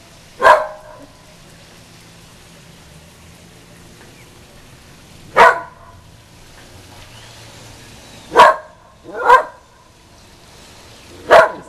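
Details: A usually quiet female whippet outside barks at the passing Goodyear blimp; five short, sharp barks spaced irregularly, several seconds apart at first, then two close together near the end, with low background hum.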